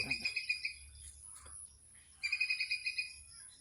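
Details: Squirrel near Chaprashirhat giving two bursts of rapid, high, sharp chips, about eight per second, separated by a short pause, over a faint low hum.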